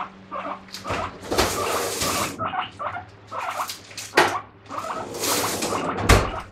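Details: Pet guinea pig making a morning racket, demanding vegetables: rising squeals repeated in short bursts, partly buried under loud rustling, bumping and clattering from inside the cage.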